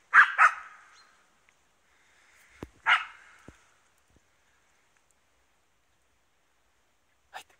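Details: An East Siberian Laika hunting wild boar gives sharp, loud barks, two quick ones, then another after a pause.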